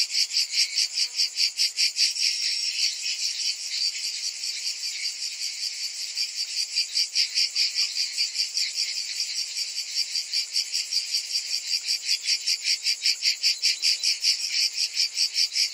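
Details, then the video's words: A summer cicada chorus gives a continuous high, metallic drone. It throbs in regular beats, roughly two and a half per second, and the pulsing grows sharper toward the end. No other clear sounds. "Cicadas in Summer"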